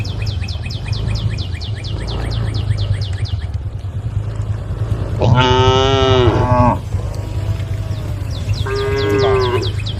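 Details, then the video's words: Cows in a herd roaming along a road, calling the herd: a loud, drawn-out harmonic moo lasting over a second, then a shorter second moo near the end. A steady low rumble and rapid, repeated high chirping run underneath. "the sound of cows calling the herd"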